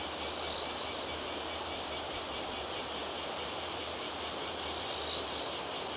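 Two harsh, buzzing bursts of about half a second to a second stand out, made by the katydid rubbing its wings together. Between them runs a continuous high, hissing drone of other insects.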